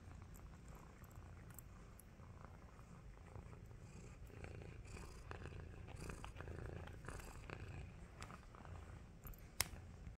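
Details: Domestic cat wearing a cone, purring as it wakes from a nap indoors; a soft, steady low rumble continues throughout, with faint rustling and a sharp click near the end.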